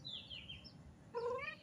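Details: Mochi, a neighbour's cat that comes to the house asking for food and affection, gives a short rising-then-falling meow near the end, preceded by a faint high thin sound over quiet background hiss.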